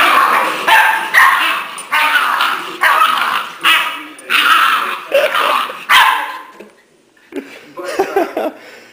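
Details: New puppy trying to show his older brother who's boss, letting out a run of harsh, broad barks roughly once a second, then a pause and softer, lower grumbling sounds, with people talking nearby.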